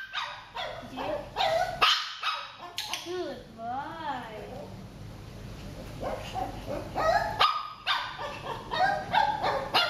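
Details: Shih Tzu named J during eye contact training, giving quick high yappy barks, then a wavering, rising-and-falling whimper in the middle before the barking picks up again, with a person's voice in the background.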